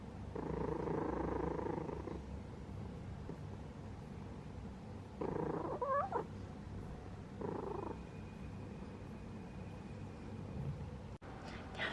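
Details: Sleeping house cat purring in loud, breathy bursts, a long swell at first and then shorter ones, broken once by a quick wavering chirp. A faint thin steady tone runs in the background later.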